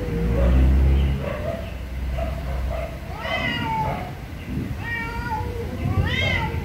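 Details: Very angry cats meowing loudly, bending meows rising and dropping in pitch, repeated irregularly, mixed with a heavy low rumble and possible voices in the background.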